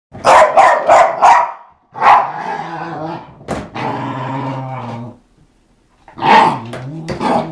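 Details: Eva, a pet dog, playing with a skateboard: bursts of four rapid harsh barks, then a long rumbling growl-like vocalization, followed by more barking.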